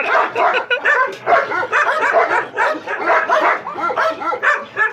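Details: Dogs from a Gultair versus wolfdog match-up, giving dense, overlapping barks and harsh yelps in irregular bursts about a second apart, with human voices blended into the din.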